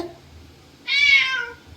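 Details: Cat in a garden with a snake nearby lets out a loud, sustained meow that holds steady and then slowly falls away. Excited Marathi speech follows right after.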